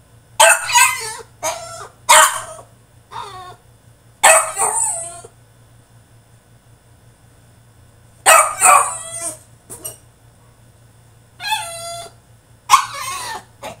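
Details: Caged French Bulldog in a tantrum, letting out loud strained yelps and wailing whines in groups, then a few seconds of quiet before more drawn-out, wavering cries; faint constant hum in the background.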